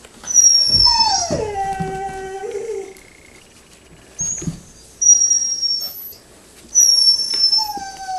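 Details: Six-week-old puppies of Rustydog whine: a long falling whimper that slides down and levels off into a drawn-out moan, then thin high squeaks recurring every second or two, with faint knocks between.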